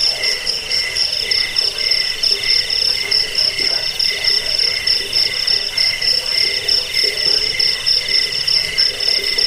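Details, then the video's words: Cricket chorus offered as a rat repellent, sleep aid and tutor for cage birds: continuous shrill, pulsing trills at two pitch levels, beating in quick irregular bursts over a faint, lower throbbing background. "Suara jangkik pengusir tikus pengantar tidur"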